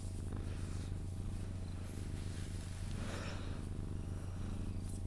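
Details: Sphynx cat purring contentedly as it is cuddled to sleep indoors: a strong, smooth low rumble throughout with gentle breathing swells and a brief soft rustle midway.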